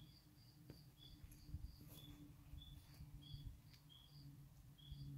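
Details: Chorus of spring peepers in swamp surroundings: brief, high, slightly rising peeps from several frogs alternating at two pitches, roughly one every half second, against a constant deep background drone.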